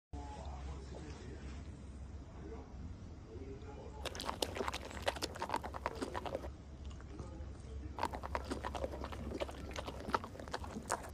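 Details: A puppy schnauzer eating durian, heard as wet, crackling chewing and biting in bursts, loudest in the second half, with faint talking in a small room.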